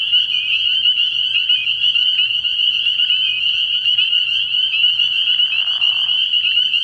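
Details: A nighttime frog pond early in the year, crowded with spring peepers: steady piercing high-pitched peeping from countless overlapping callers, plus a short lower buzzy sound toward the end.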